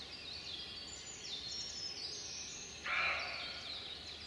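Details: Young roe deer buck, under a year old, at a wayside in May around 6 in the morning, giving one short, harsh, broadband bark as it runs off after watching the person filming; continuous high birdsong chorus behind.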